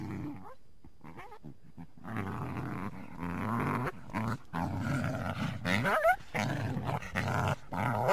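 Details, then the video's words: Coyote calling through the trees of a backyard on a winter day: rough, low harmonic growling bursts repeated in uneven runs, with brief rising whine-like sweeps near the end. "Coyote Sounds"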